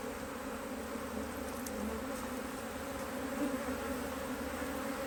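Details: A busy honey bee colony in an Australian-designed HiveIQ beehive, opened in near mid-autumn 2023 in Australia to fit a box of empty frames. A continuous low, even buzzing hum fills the recording, with a brief faint tick early on.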